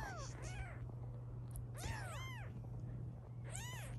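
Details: British Shorthair kittens, 16 days old, from a litter of five born to a black cat; high arched meows with rich harmonics come in short bursts, with a steady low hum beneath.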